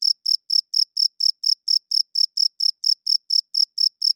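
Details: Night-time cricket song, bright shrill chirps following one another at a brisk even pace of about four per second, with no other sounds present.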